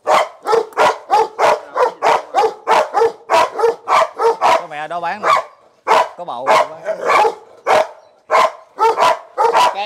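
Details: Barking Belgian Malinois at a Ho Chi Minh City kennel, where a Malinois mother had a litter of ten; steady rapid barks about twice a second, briefly broken midway by a whining, wavering voice before the barking resumes.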